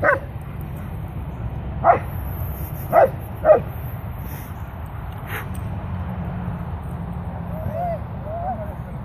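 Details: Griffin the Leonberger: an opening bark, then three short, sharp barks spaced roughly a second apart, followed by quiet with faint wavering whine-like sounds near the end over a constant low hum.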